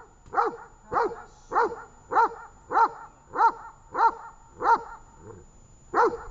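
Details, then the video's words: A dog called Tash gives repeated barks in training at Horlivka on 18 August 2019, with ten loud, even barks spaced about 0.6 seconds apart and a short pause near the end. "Таш .тренинг 18,08,19 Горловка"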